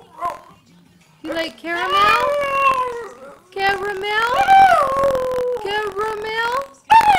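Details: Boston Terrier named Pilot howls along to a Tim Hortons television commercial at home: long, rising and falling, yodelling howls in several drawn-out bursts, mixed with a woman's excited voice asking about caramel.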